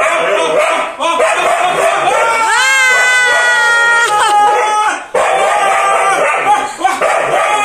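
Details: Siberian Husky carried on a man's back on a roller coaster, frightened and crying: one drawn-out whining howl, rising then holding steady with rich overtones, surrounded by excited human voices and ride noise.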